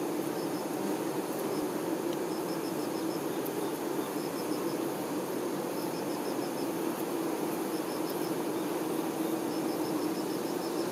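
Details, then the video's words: Honey bee workers tending their queen, a dense, steady hum of buzzing wings held unbroken throughout, with short high chirping bursts repeating in clusters every second or two over the top. "Nature ASMR-honey bee"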